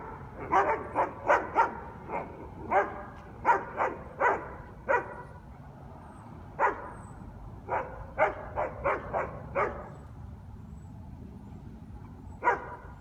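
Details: Guard dogs at a taxi yard in New Orleans bark in a noise-violation recording: sharp single barks and quick clusters spread irregularly, with a quiet gap midway, over steady low traffic hum.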